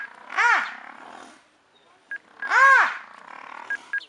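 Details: Brown hyenas fighting in Madikwe over an intruder in the wrong territory, giving two loud, arched squealing yelps about two seconds apart, with brief clicks and rustling between.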